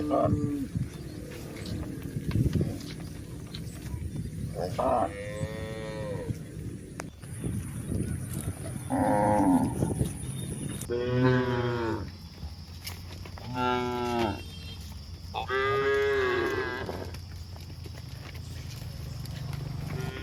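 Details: Cows walking up a rural hillside moo repeatedly, about five wavering, throaty lows spread over twenty seconds, over rustling footsteps and a constant high electronic whine.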